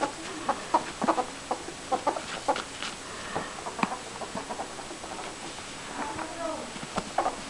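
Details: Meg, a pet ferret, being tickled on her ticklish spots in front of her hind legs, giving rapid soft clucking chuckles in uneven bursts, with rustling handling noise throughout.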